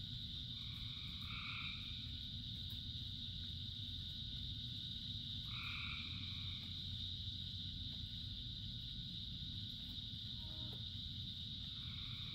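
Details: Frogs calling in rain, a chorus of many, with a steady high droning band throughout and harmonic croaking bursts of about a second near the start and middle, over a constant low rumble of rainfall.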